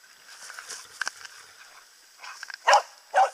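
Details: A hunting dog baying at a moose during a Finnish moose hunt gives two loud, harsh barks; the cow moose was felled over its barking.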